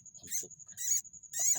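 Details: Baby rats, rice-field pests taken from a flooded paddy plot and collected for sale as livestock feed, give thin, high, squeaky chirps in three quick bursts over a steady high whine, with a man talking.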